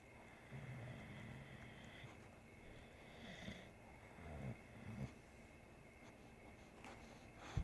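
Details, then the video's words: Bodhi, an English Bulldog, snores while asleep as Scooter, a three-legged cat, grooms him; low rumbling breaths come in uneven bursts, with faint soft licking and rustling sounds in between. "Cat Bathes Snoring Bulldog"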